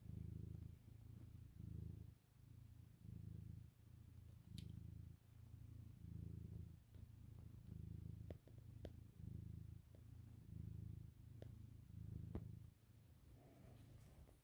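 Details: Domestic cat purring while kneading on a sofa at lunchtime; a deep, rhythmic rumbling purr in steady pulses of roughly one second, alternating in and out breaths, with faint clicks.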